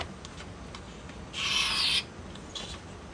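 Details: Pet ferrets playing, a blaze female and an albino male, with the female doing the hissing: one broad, breathy hiss lasting about half a second, preceded and followed by faint scratchy rustling.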